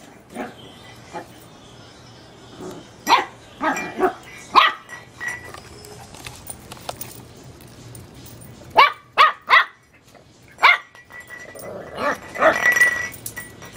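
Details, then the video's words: A teacup Chihuahua puppy barks at a light bulb, high, sharp yappy barks in irregular bursts. "teacup chihuahua puppy dog barking at a bulb light gnocchi noqui"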